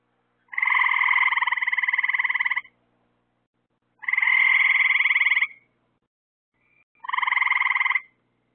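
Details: Frogs calling at night near lights set out to draw insects; three long pulsed trills, each about one to two seconds, buzzy and rapidly ticking with stacked bands, separated by short silences.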